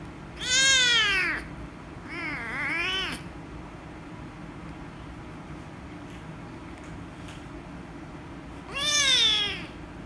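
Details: Rescue kitten, angry at being petted, gives loud meows: a strong arched cry, a quieter wavering one soon after, then silence before a final loud rising-and-falling meow near the end, with faint background hum.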